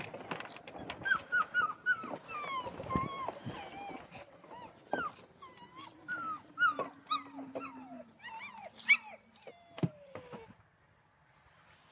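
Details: Central Asian Shepherd Dogs at a kennel in Michigan on a typical Sunday: a run of high, whining yelps, each sliding downward in pitch and coming in quick bursts, over a long, low, drawn-out tone that slowly falls.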